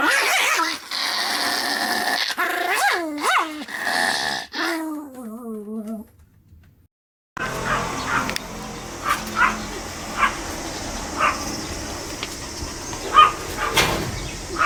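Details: Sam, a Pomeranian dog, filmed 25 July 2015 wearing a beer-foam moustache: several harmonic, rising-then-falling yelping whines in the opening seconds, then a brief silence and a noisy background with faint short sounds.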